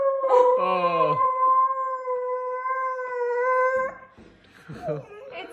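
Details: Pet dog, a female, howling during a reaction to receiving a huge cookie: a long steady tonal howl held for about three seconds after a brief falling whine, followed by people talking.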